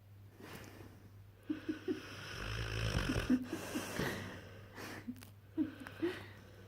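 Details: Asleep with tongue hanging out, Frank the St. Bernard × Mastiff puppy gives wheezy, snorting snores, each breath carrying short squeaky nasal whistles that come in little clusters.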